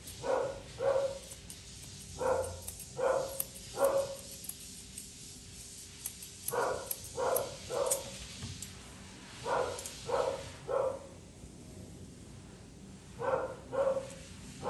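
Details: A Poodle mix being groomed keeps up bursts of sharp, evenly pitched barks, mostly in pairs and triplets, with brief pauses and light tool clicks in a small room.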